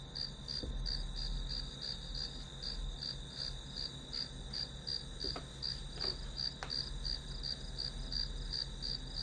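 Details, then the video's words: Grass insects used as background white noise for a one-hour study session; pulsed high chirps repeat about three times a second over a steady high whine, with low hum and a few sharp clicks. "풀벌레 소리"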